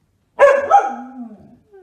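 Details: Single short, rough bark from a fluffy Samoyed, dropping into a brief lower grumbling tail.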